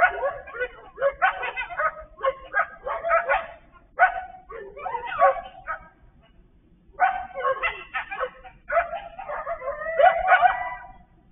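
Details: Group of coyotes on Thoroughbred Trail, 08/08/23, a few animals sounding like many, in a dense cacophony of rapid yips, barks and quavering howls in bursts, briefly dropping out near the middle before resuming.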